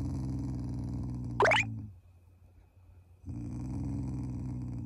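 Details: Shiba Inu family dog growling affectionately at its owners, not angry; a low, rumbling, steady growl that breaks off briefly after a sharp bright effect sound, then resumes.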